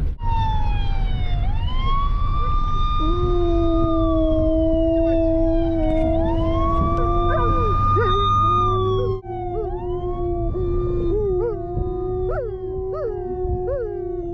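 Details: A Siberian husky, driven through a neighbourhood with German shepherds, is set off by a passing police siren and holds long, wavering howls alongside its wail.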